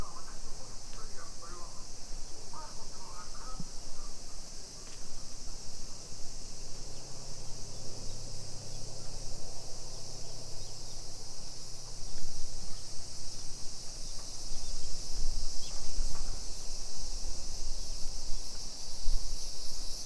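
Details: High continuous cicada buzzing in suburban Nisshin, Aichi, Japan, on a summer afternoon, 28 July 2021, swelling slightly later on; brief chirps early, a low engine-like hum passing midway, and steady ambient rumble.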